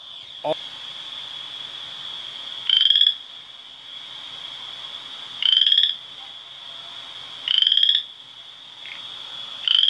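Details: Western chorus frog in Ontario, calling from March alongside spring peepers in shared breeding pools: short rising rasping trills about every two and a half seconds over a steady high ringing peeper chorus.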